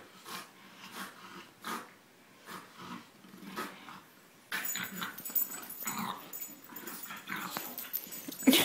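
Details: Two bulldogs, a French Bulldog and an English Bulldog, wrestling in play: rhythmic wheezy grunts about every half second at first, then denser scuffling, snorts and growls as the tussle picks up.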